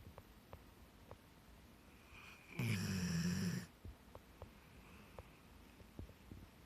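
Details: Black Labrador retriever sound asleep in a park where children are noisy: one long, rumbling snore lasting about a second, a low droning tone with a hissy edge, set among soft breathing and faint clicks.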